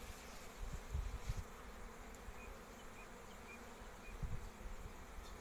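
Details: Honey bee colonies kept in man-made hives at an apiary give a low, steady droning hum throughout, broken by dull thumps and rustling handling noise near the start and again after four seconds.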